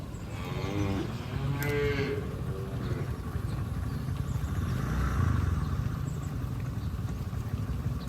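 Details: A farm herd of cattle grazes in a green field. One cow gives a clear, harmonic-rich moo lasting about two seconds, wavering slightly in pitch. A low rumbling background and faint outdoor noise continue after the call fades.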